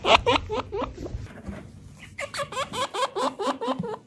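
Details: Pet chinchilla giving a rapid series of short, hooked squeaks, each dipping then rising, repeated about three times a second with a brief pause near the middle; indoor room sound beneath.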